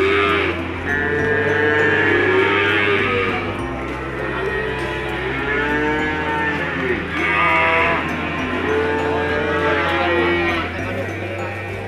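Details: Peranakan Ongole feeder cattle offered for sale at a cattle market; repeated drawn-out moos with rising-then-falling pitch arrive every few seconds from several animals, layered over a low, steady musical bass line.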